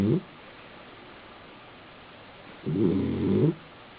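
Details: A male Basenji, sleeping on his back in an apartment in South Park, Pennsylvania, gives a low, rough, rattling snore lasting under a second.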